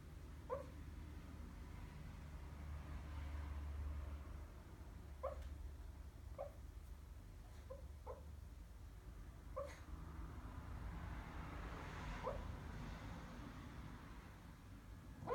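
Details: Pet dog barking in its sleep while dreaming, indoors: soft, muffled little woofs and yips in short bursts, spaced irregularly over several seconds, over a low steady room hum.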